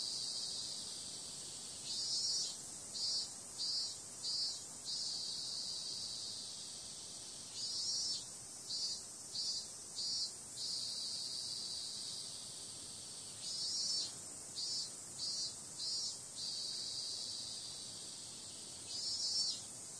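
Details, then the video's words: Cicadas calling on a summer night: a steady high, hissing drone with clusters of brighter pulsed bursts that recur in groups of four or five every few seconds, with no other clear sounds. "Cicada sound"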